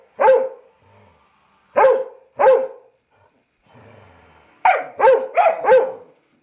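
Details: In Chattanooga, Tennessee, a very vocal 19-week-old Lab Weimaraner mix puppy available for adoption barks once, then twice, then fires off a rapid burst of four barks after a faint whimper.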